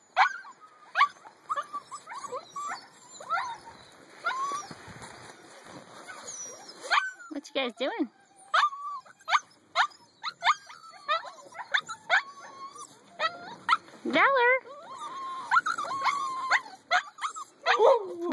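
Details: Eight-week-old puppies whimper and squeal in rapid, high wavering cries, some bending upward and others falling, while a person talks to them by name throughout.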